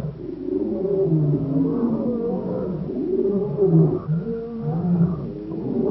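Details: African lion in the wild, Kruger National Park around Shingwedzi, giving a continuous low, moaning roar with wavering harmonic bands that swell and dip over six seconds without pause.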